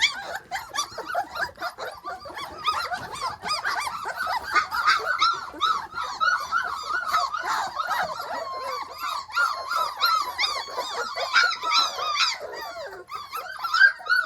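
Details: Hovawart puppies exploring a deck outdoors for the first time; dense, continuous squealing and yelping from several pups, high arched squeaks tumbling over each other nearly three times a second.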